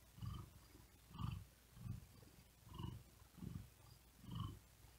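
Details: Sleepy cat on a wooden desk, overheated and breathing hard, gives a soft rumbling purr; six even swells, each under a second long, follow one another at a slow, breathing rhythm with little else audible.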